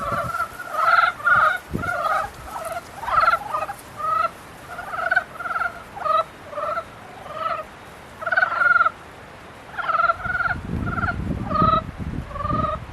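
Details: Frogs in mating season calling in a busy chorus: short nasal, harmonic croaks, some with a quick rattling pulse, overlapping almost continuously, with brief pauses near the eighth and tenth seconds and a low rumble near the end.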